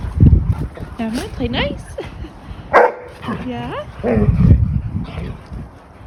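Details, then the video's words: A pack of German Shepherd puppies, Dodger and Arial among them, vocal while playing together: rising and falling whiny yelps and short yips, interrupted by people talking nearby. "Pack Of Vocal Puppies Play"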